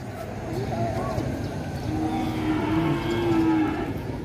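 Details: Agitated calf on the rampage lets out a moderately faint, sustained, steady moo lasting nearly two seconds mid-clip over a background of low rumbling noise.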